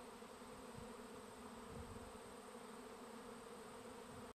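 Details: Massed honey bees swarming at a bee farm make a steady, full droning buzz with slight low thumps, then it cuts off abruptly.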